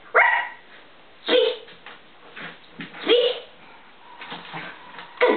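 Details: A pet poodle, female, barking on command as she is told to speak indoors: four short, sharp barks spaced about a second apart, with a woman's voice giving praise between them.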